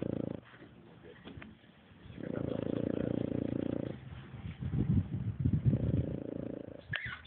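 A French Bulldog snores in long, low, rumbling breaths that rise and fade in slow cycles.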